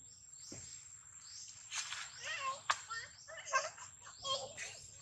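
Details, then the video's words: Baby monkey Daniela, separated from her mother Dana, crying for help; a run of short tonal squeals and wavering wails in the second half, over faint background rustling. "Baby Monkey Daniela Cries Seizure,Loudly For Calling Mom Help From DeeDee"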